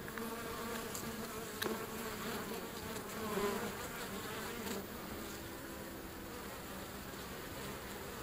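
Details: Feral European honey bees swarming close to the entrance of a wild hive beside a river, giving a thick, steady droning buzz with overlapping wingbeat hums and a few brief louder passes.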